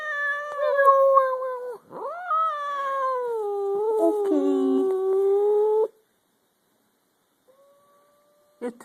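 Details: Domestic cats in a growling standoff, a third cat looking on: a loud, sustained, wavering moan-growl with rich overtones, dipping and rising, lasting about six seconds before silence and a brief click.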